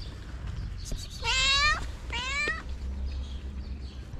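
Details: A calico cat meows twice in quick succession to ask for love and food in Morocco. Both meows are clear, rich and slightly falling in pitch, over a low steady rumble.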